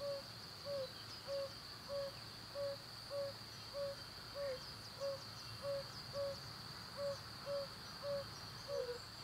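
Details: Male yellow-bellied toad calling from a breeding pond or rut in the breeding season to attract females: soft, low 'ouh' notes repeated steadily about every 0.6 seconds, over a constant high-pitched insect-like whine.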